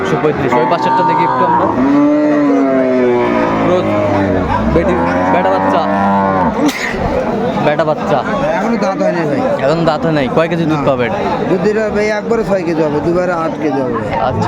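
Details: At Aftabganj haat in Dinajpur on 1 September 2024, a cow kept with her calf for sale gives a sustained, deep moo lasting several seconds. Steady crowd talk and market noise follow.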